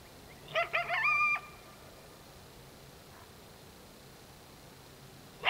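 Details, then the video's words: A coyote at dark gives a burst of high, wavering yips and short howls, then falls quiet. "One-Off: Coyote Sounds at Dark"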